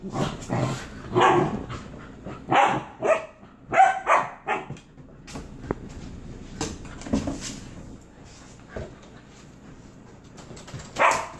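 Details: A Standard Poodle, together with a husky, gives a run of sharp, uneven barks and yips while a person speaks.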